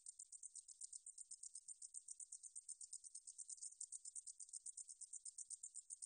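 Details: Meadow katydid (등줄어리쌕쌔기), a 2020 recording from Korea's National Institute of Biological Resources: a high, dry buzzing song in rapid, steady pulses, about seven each second. No other sounds can be heard.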